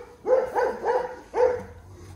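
A young Dobermann barks in short, high-pitched yaps, three in quick succession followed by a brief pause and a fourth. The barks are thin and slightly squeaky, typical of a puppy's voice.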